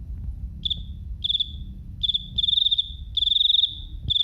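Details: Cricket chirping in short bursts of rapid high-pitched pulses, the bursts growing longer and louder toward the end, with a quiet low rumble underneath.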